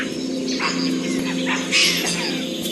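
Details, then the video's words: Capuchin monkeys give sharp, high chirping alarm calls in bursts as a puma is near, warning every creature in the forest of the predator. "suddenly monkey alarm calls fill the air"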